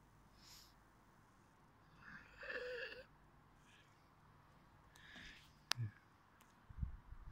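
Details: A Pekingese in Finland, wondering where its ice cream is, gives a breathy, wheezing whine and snuffly snorts in a quiet room.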